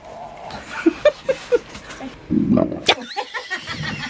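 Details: Female mastiff rescued from a shelter, out in her large farm-area yard: one deep, rough, low burp lasting about half a second, after a few soft clicking sounds, with faint human voices around.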